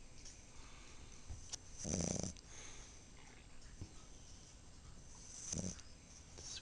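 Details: Napping female Chihuahua and Italian Greyhound cross under a pink towel gives snorty snores: a loud rasping snort, then a smaller one three seconds later, with faint breathing and a steady background hiss.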